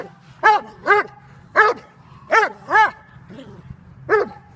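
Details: Dobermann Jovanotti Unreachables, almost five, barking in bite work in October 2015, bred in Serbia. Six deep harmonic barks come in pairs and singles, with uneven gaps and a brief softer yelp between them.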